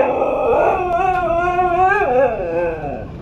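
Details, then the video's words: Husky dog having a fit about going for a walk, a long continuous wavering howl-like vocal lasting about three seconds, rising and falling in pitch with rich harmonics, indoors at home. "Husky having a fit about going for a walk"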